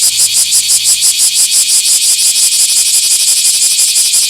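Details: Bear cicada filmed in a small park on 24 July 2026, loud harsh buzzing pulsed about three times per second, steady rhythmic chirring rising and falling in intensity throughout, high-pitched and dense with no other clear sounds.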